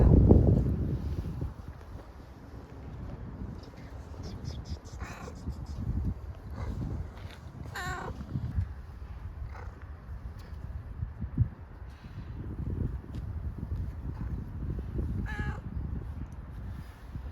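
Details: Grey furry homeless stray cat, hungry, meowing for food: three or four short harmonic meows spaced several seconds apart, the clearest near the middle and end, over steady low rumbling street noise.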